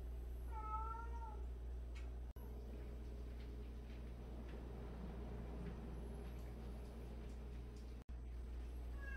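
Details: One cat in a 76-cat home of rescued strays and abandoned cats lets out a single short, gently arching meow at the start. Only a steady low hum follows, broken by two brief dropouts.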